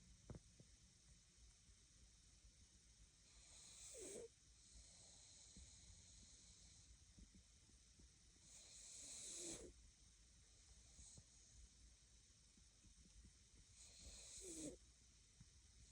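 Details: Daisy the pug asleep at nap time, letting out three rasping, hissy snoring breaths about every five seconds, with quiet steady background hiss between them.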